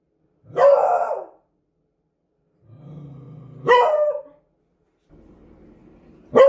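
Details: Barking Beagle alternating strong harmonic barks with low, steady growls: a long bark, a soft growl leading into a second bark, then another growl before a final bark begins.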